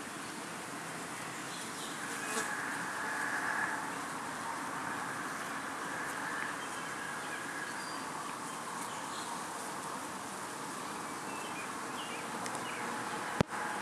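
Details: Honeybee workers bearding and washboarding outside the hive on a hot summer evening in upstate New York in 2012, during a dearth. A steady, faint, even hum holds throughout, with a sharp click near the end.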